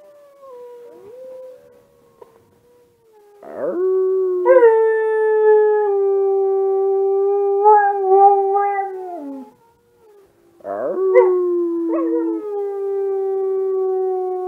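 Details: Kiba, a Husky-mix dog resembling an Alaskan Husky, howls indoors in a dark room in answer to wolf sounds played online, caught on a smartphone. After a faint steady tone, two long, even, mid-pitched howls hold for several seconds each, separated by a brief pause.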